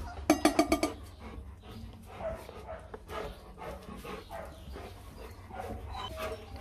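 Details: Purebred Rottweiler puppies, 24 days old, during their first meal of solid food: a rapid burst of five sharp, high yelps within under a second, followed by quieter scattered shuffling and clicking sounds.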